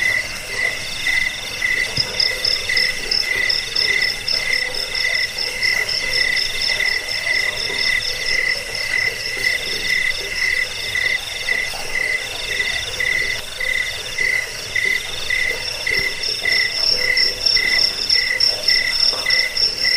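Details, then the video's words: Cricket chorus for scaring rats, sending people to sleep and tutoring caged birds. Twenty seconds of unbroken shrill trilling, beaded chirps repeating quickly on two pitches, a higher trill joining after two seconds, several callers overlapping. "Suara jangkik pengusir tikus pengantar tidur"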